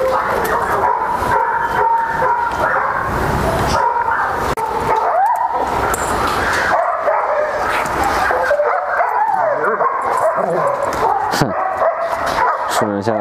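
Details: Flat-backed German Shepherd mother and daughter reunited after a year apart, playing together at a rural dog keeper's home; high, thin whines and whimpers repeat through the clip, some wavering, with rustling and movement noise.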